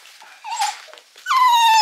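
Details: Female Mame Shiba about eight months old, crying indoors when picked up from spay surgery in January 2022: a short whine, a pause, then a loud high-pitched whine that slides slowly downward.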